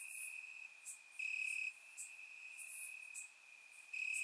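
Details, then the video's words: Crickets chirping in grass on a warm summer night in Bulgaria, recorded with a surround microphone: a steady high trill that swells in bursts, with fainter, higher pulsing chirps from other crickets layered above. "Cricket Sounds - Crickets Chirping at Night"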